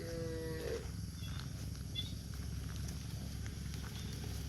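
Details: Cows walking leisurely on cobblestone streets; one short, tonal, harmonic moo opens the recording and fades within a second, then a steady low rumble of street noise with faint scattered clicks.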